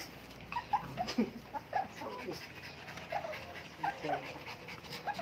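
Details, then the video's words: Mini Dobermans and Shih Tzus in a commotion together: scattered short, high whimpering yips from several dogs overlap one another, coming in quick uneven bursts throughout, over a low background hiss. "Nagkagulo Ang Mga mini doberman at ang mga Shihtzu"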